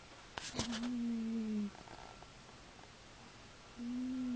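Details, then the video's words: Snoring from a sleeping cat: a low, buzzy tone falling slightly at its end, a short rustle just before, then a pause and another snore starting. "snoring cat"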